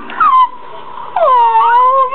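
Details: Jack Russell Terrier watching another terrier on a computer screen, giving two long, high, sliding whines, the second dipping then rising back, with strong ringing overtones over faint room noise.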